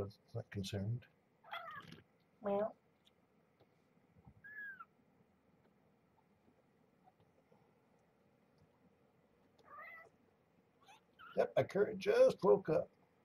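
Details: Domestic cats at morning feeding time: Marge, a mother cat found as a pregnant stray, and her growing kittens at Purrfect Pals. Brief, thin, rising-falling mews scattered through a quiet room, with human speech at the start and end.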